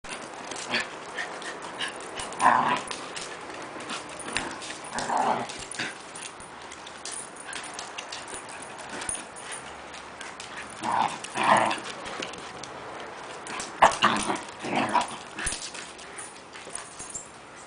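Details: Havanese dog play growling while playing with a Standard Schnauzer: short rough growly bursts at irregular intervals, a few seconds apart, over shuffling and scuffling noises of the play.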